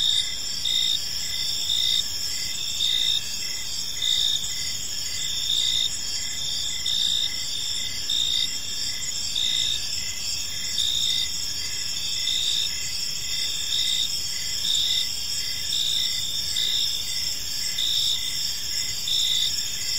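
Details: In a park at evening, many crickets keep up a continuous high trilling chorus, with brighter chirp pulses near once per second layered over a steady hiss.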